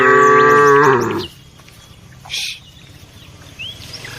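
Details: Herded village cow giving a single loud, deep moo just over a second long, then quieter background with faint bird chirps.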